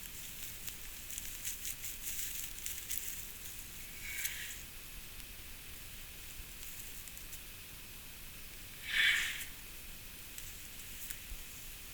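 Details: Steady hiss with soft rustling and crackling, and one brief sharp rustle; no animal voice is heard. The crackling resembles a small fire or dry leaves being handled.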